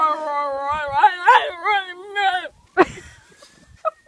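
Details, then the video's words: Miniature Schnauzer howling in imitation of a fire truck siren: wavering, warbling harmonic howl for about two and a half seconds, then a sharp yelp and short whimpers, with a faint rising siren tone behind. "Miniature Schnauzer mimics fire truck siren"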